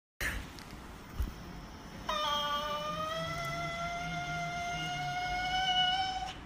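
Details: An Italian greyhound sings, warming up before a big show, a long, steady, high howl that drifts slowly upward in pitch.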